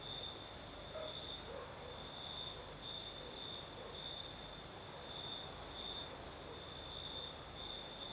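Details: Night in southern Crimea with a breeze: crickets keep up a piercing, steady trill that beats in regular brighter pulses, while soft broadband hiss and a few faint mid-pitched sounds sit underneath.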